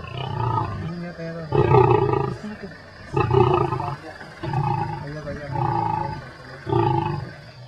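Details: Big male lion growling defensively over his food while eating at night on safari in Lewa Wildlife Conservancy, Kenya; deep rumbling growls in pulses about every one to two seconds, with a man speaking over them.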